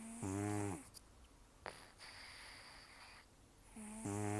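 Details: Elderly rescued cat Taro, rescued in October 2024 and nearly toothless, snoring in sleep: a coarse, droning snore, a quiet pause with a brief sniff, then a second rasping snore about three and a half seconds later.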